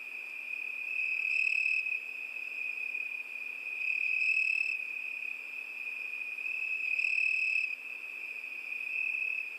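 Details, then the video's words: Crickets on a summer night keep up a constant shrill trill while a second, higher chirping burst returns about every three seconds, three times in all. "ЗВУКИ ЛЕТНЕЙ НОЧИ. ПОЮТ СВЕРЧКИ."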